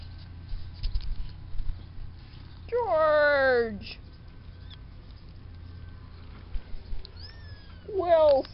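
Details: Fluffy farm kittens, weeks-old offspring of Spanky: a drawn-out, descending meow lasting about a second, a softer high squeak, then another falling meow at the end, with faint rustling and a low background hum.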